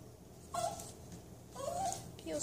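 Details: Mindy, a Toy Manchester Terrier, whimpers indoors while her back is scratched: two thin, steady, high whines about a second apart, the second longer and wavering, with a soft room hum beneath.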